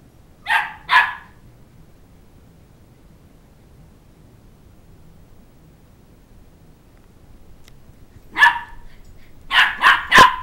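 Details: Two-month-old Shetland Sheepdog puppy chasing a two-year-old child around a coffee table for his stuffed toy; two short high yappy barks, a long quiet gap, then a burst of four quick sharp barks near the end.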